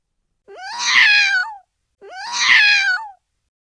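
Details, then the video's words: Kitten meowing twice, each call about one second long, rising sharply at the start then sliding gently downward with rich harmonics, the two meows spaced about one and a half seconds apart in a quiet room. "Baby Cats - Cute and Funny Baby Cat Videos Compilation"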